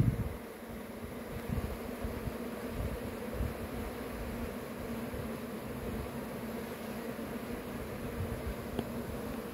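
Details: Continuous low droning of a honey bee swarm, with a steady hum and light flickering surges as individual bees fly near, set against a faint hiss.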